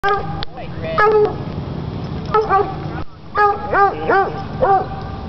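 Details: At a dog park, a coonhound gives loud, harmonic barks in short bursts while playing, with people talking in the background.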